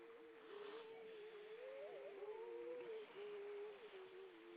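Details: Wild grey seals on Vilsandi in Estonia, 25 September 2012 at dusk, many of them above the water: a long, continuous howling moan that wavers up and down, with a second fainter voice beneath and a soft wash of background noise.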